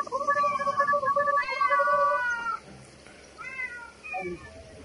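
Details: Kitten meowing in a series of drawn-out, wavering, harmonic-rich cries, a longer stretched call followed by shorter rising and falling meows, over a steady background hiss.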